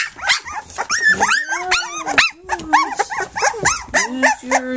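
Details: Three-week-old pups of the dog Flute, nursing and at play, fill the moment with overlapping squeals and wavering whines, several rising then falling, plus a couple of drawn-out lower moans.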